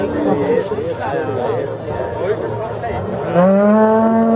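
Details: Holstein or Red Holstein cattle brought into the ring for judging at a cattle show in Zürcher Unterland, Switzerland, on 26 April 2014. A background murmur of people gives way, late on, to one loud, steady, deep moo with rich harmonics.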